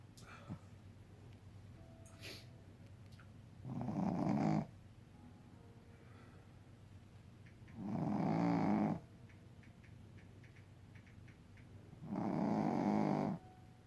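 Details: Tired Shih Tzu asleep indoors, snoring loudly: three long, rasping snores, each about a second, spaced roughly four seconds apart over quiet room background.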